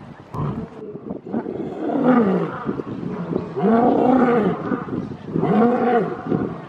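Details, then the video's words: Lion giving its territorial roar, a call also used to communicate with the pride: three long, swelling moans that rise and fall in pitch, each about a second long, separated by short pauses. "Les secrets du rugissement du lion 🦁: libérer la puissance (cri du lion) | Lions Roaring Compilation"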